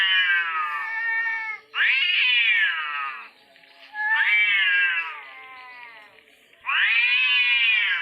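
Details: Orange cats fighting: loud, drawn-out wavering yowls with rich harmonics, four long howls each lasting one to two seconds, rising then slowly falling, separated by brief quieter pauses.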